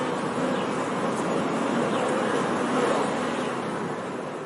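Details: Honey bees heard together, wingbeats merging into a dense, steady, low continuous drone that barely rises or falls, with faint higher whines from single bees passing close.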